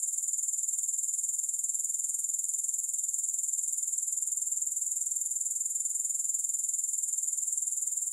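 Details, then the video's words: A constant, high-pitched grasshopper trill, offered as a soothing sound for sleep and relaxation with no music, made of fast, even pulses at about four per second, unbroken throughout. "Grass Hopper Sounds"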